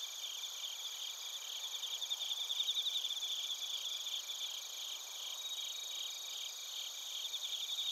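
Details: Bell crickets and other crickets chirping in Narita, Chiba Prefecture, Japan, recorded on a TASCAM Portacapture X8: a dense, high ringing chorus with overlapping pulsed trills that swell and fade, several steady tones layered underneath.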